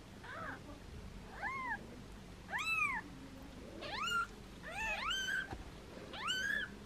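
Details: Foster kittens meowing playfully while held in hands, mother cat nearby: six high arched meows with stacked harmonics, spaced about a second apart, some overlapping, over a quiet indoor background.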